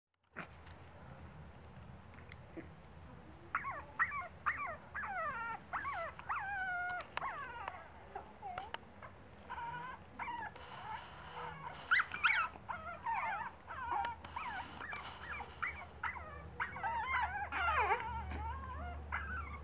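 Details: Female pug puppy, young, reacting after recognising herself in a recording of her taken earlier that day. High, harmonic whines and yelps that rise and fall in quick, irregular bursts, going on steadily after a quiet start over a low background hum.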